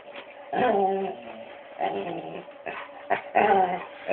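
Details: Pet Labrador Retriever reacting to a foot massager, recorded on a cellphone: low harmonic growling and whining grumbles in several bursts over a constant mechanical hum, with a short sharp yip near the end.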